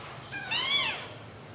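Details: Newborn kitten sleeping together with its littermates gives a single thin, high mew that rises and then falls, about half a second long, over a quiet background.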